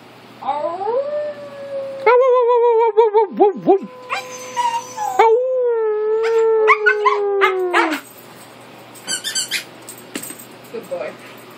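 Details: Siberian Husky howling indoors while being encouraged by its owner to make noise: long, sustained, wavering tonal howls with a sliding pitch, broken by short yips, ending in a falling note, followed by brief squeaks and a person's voice.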